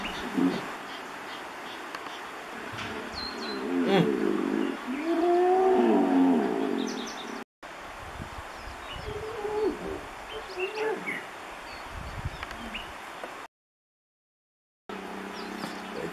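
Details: Wild hippos in the Olifants River, Kruger National Park, where males fight for territory; a drawn-out, harmonic rising-and-falling vocalisation swells midway, with lower rumbling grunts before it and faint bird chirps scattered through the background.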